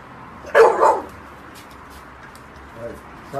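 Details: Pit Bull Terrier, a cheerful and mischievous pet dog, gives one short, loud bark-like burst about half a second in, then quiet room hum with a faint low murmur near the end.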